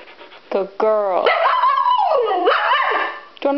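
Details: Siberian Husky named Iris, worked up after being left behind at home while others went to PetSmart, gives harmonic whines sliding into long wavering howl-like vocalizing that rises and falls, with short yelps at start and end.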